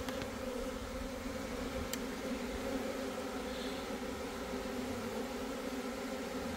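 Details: A swarm of Italian honey bees with a queen among them, in swarm mode and ignoring the beekeeper, in southeast Texas: a continuous thick buzzing drone with a couple of sharp clicks.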